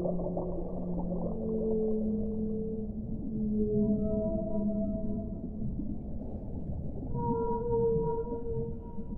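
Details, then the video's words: Whale song: long, drawn-out tonal moans with layered harmonics, a low sustained note first, then higher wavering tones that overlap and slide, all above a steady low underwater rumble and hiss. "1 ora di suono delle balene"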